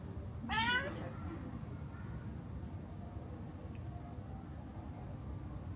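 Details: Pregnant cat asking for food gives a single short meow that rises then falls, followed by steady low background rumble with no further calls.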